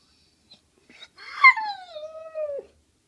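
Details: Staffordshire Bull Terrier indoors, crying because he is not allowed a sweet potato fry; one drawn-out whining howl, starting high and sliding steadily down over about one and a half seconds before stopping abruptly.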